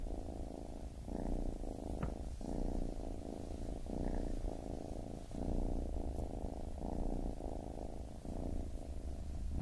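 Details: Kitten purring steadily in low rumbling pulses, each breath cycle lasting roughly a second and a half, with brief pauses between inhale and exhale; faint soft clicks above, nothing else heard.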